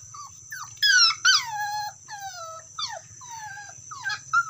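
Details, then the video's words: Calling to a companion, a dog gives loud, sharp yelps that slide downward into longer whines, several in a few seconds, over a steady high-pitched background tone and faint low hum. "SUARA ANJING MEMANGGIL TEMANYA"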